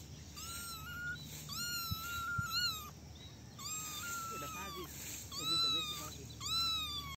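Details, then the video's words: Little kittens in a basket at play, meowing in drawn-out, slightly wavering cries about every second, several voices alternating, with faint murmuring and low hum beneath. "Basket of cute little kittens meowing and playing"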